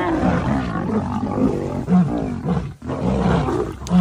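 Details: Lions in a fight to protect cubs: deep, rumbling growls and snarls come in bursts with short pauses, one break near the third second, loud and low-pitched throughout.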